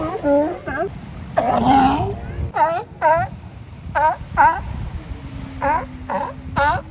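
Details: At Kiddie Beach in Oxnard, California, resting sea lions give a series of short, gruff barks in quick pairs and bursts, with brief pauses between groups and a faint low drone behind.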